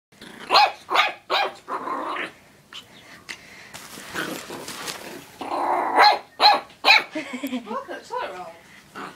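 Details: Pet dog barking at a toilet roll: sharp, harsh barks in quick bursts, a run of several in the first two seconds and another cluster near the end, with human speech mixed in between.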